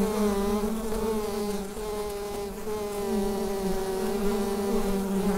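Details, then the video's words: Inside a bee hive, a USB microphone picks up an even, unbroken hum, a deep buzzing tone stacked with bright overtones that holds almost constant volume throughout. "Bee Hive Sound"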